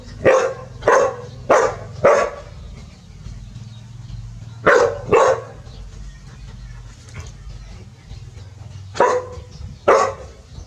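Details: Two village dogs, Pao and Rank, bark in alarm at a snake: a burst of four sharp barks, a pause, a quick pair, then two more barks later, over a steady low hum.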